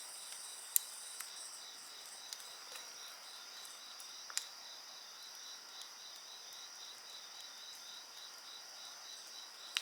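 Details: Insects sing beside a crackling bonfire: a steady high shrill band with a pulsed trill just below it, about three pulses a second, broken by sharp pops and snaps from the fire.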